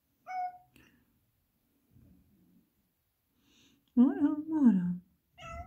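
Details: Black Persian cat protesting indoors, not wanting to stay inside the house: a short meow, a pause, then two strong, wavering, falling meows back to back and another beginning at the end. A person's voice is faint between calls.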